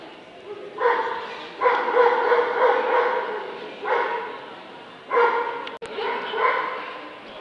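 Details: Dobermann in the Limit Dog class at the Scottish Dobermann Club championship show, 2012: five deep, raspy barks spaced one to two seconds apart, with a brief click between the last two.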